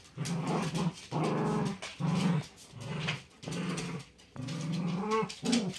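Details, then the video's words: Two pet dogs, a chihuahua/terrier mix and a great pyrenees/lab mix, in a tug of war over a pink dragon toy; low rumbling growls in repeated bursts of about a second, with brief gaps between. "My Dogs Vie For The Pink Dragon"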